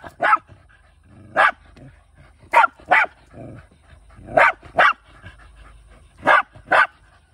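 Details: Hunting Shiba Inu, a male dog living in the countryside, gives sharp barks, mostly in pairs: about eight loud, clipped barks spaced roughly every one to two seconds, with a few softer whines in between.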